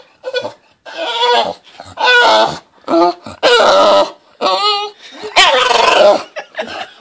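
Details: A 10-month-old female English Bulldog whines in a string of wavering, nasal cries broken by short pauses, the funny noises she makes when she whines.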